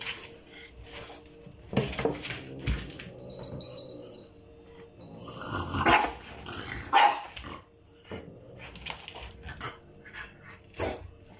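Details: French Bulldog at home quarrelling with a Burmese cat over toys amid a mess they made; a few short barks and growly sounds come in scattered bursts, with rustling, toy clatter and a woman talking.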